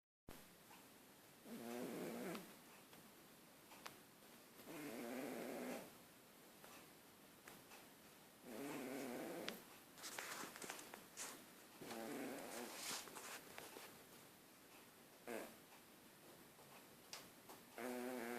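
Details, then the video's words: Sleeping domestic cat snoring loudly indoors: rough, raspy breath bursts about a second and a half long, repeating roughly every three to four seconds in a steady rhythm. "snoring her head off. Crazy Cat!"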